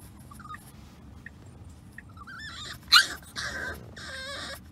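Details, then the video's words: French Bulldog puppy Remy during a disliked car ride: soft brief squeaks, then a sudden yelp and drawn-out high wavering whines, with faint road rumble underneath. "French Bulldog Puppy Whines During Car Ride"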